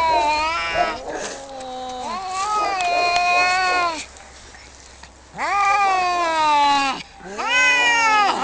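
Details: Cats fighting, giving loud drawn-out yowls in three long bouts, each wavering and bending in pitch, with short quiet gaps between them and no other clear sounds.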